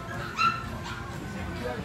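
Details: A female Shih Tzu puppy lets out one quick, thin, high yip that ends almost as soon as it starts, over quiet music and a faint murmur of voices.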